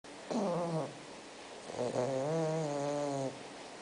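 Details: Spock, a six-month-old bulldog, snoring while asleep: two drawn-out, wavering nasal snores with a harmonic, whine-like tone, the second longer and steadier, in a quiet indoor room.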